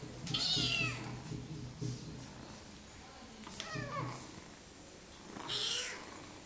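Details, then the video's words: Bengal kitten on a cat wheel, giving three short meows that slide downward in pitch, spaced about two and a half seconds apart, over a steady low rumbling background. "chaton bengal et roue à chat"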